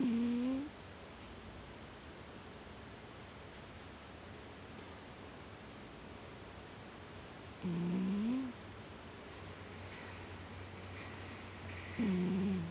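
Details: Soundly sleeping house cat snoring: short low hummed notes that bend slightly upward, spaced about seven and four seconds apart, with quiet room noise between.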